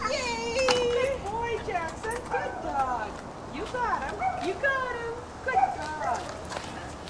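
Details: Jackson, a Border Collie, chasing an iguana off a dock in Islamorada, Florida: excited high whines and yelping cries in rapid bending bursts, rising and falling, repeated throughout, with outdoor background.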